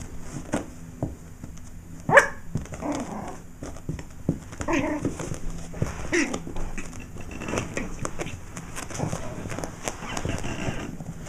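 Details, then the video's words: Yorkshire Terrier defending his turf against a black cat: one loud sharp bark at about two seconds, then softer scattered barks amid thumping scuffles, with brief human voices nearby. "Yorkie dog battles black cat"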